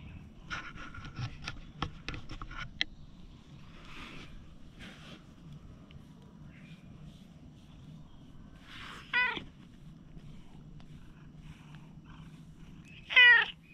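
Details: Stray cat giving two short harmonic meows, one near the middle and a louder one at the end, after scattered clicks and rustling; quiet background hum throughout.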